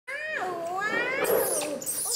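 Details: Orphaned infant monkey, found alone near the jungle and rescued by villagers, crying angrily while being bathed indoors: a wavering high wail rich in overtones that dips, then rises, then breaks into a harsh noisy burst near the end.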